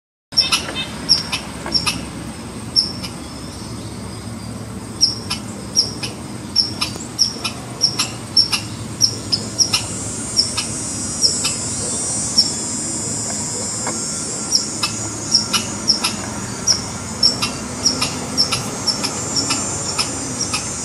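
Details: Red squirrel alarm call: sharp, broadband chucks with a thin high whistle-like tick, repeated roughly once or twice a second over steady background hiss.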